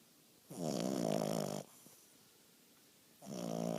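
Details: An English bulldog puppy snores with long, rattling, throaty breaths that swell and fade.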